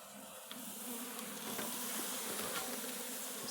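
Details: Russian honey bee colony in a hive on a red stand, opened for the first time: a dense, steady buzzing hum with a low tone and a broad airy hiss, holding level for the whole stretch.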